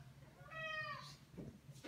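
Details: Maine Coon indoors begging to go outside, giving one clear harmonic meow that rises then falls, about half a second long, followed by a person's voice.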